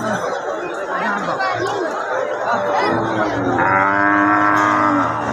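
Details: At a busy cattle market, Hari Sardar in 14 Gram, Comilla, a cow lets out a lowing moo that slides slightly downward near the end, over constant chattering voices of the crowd.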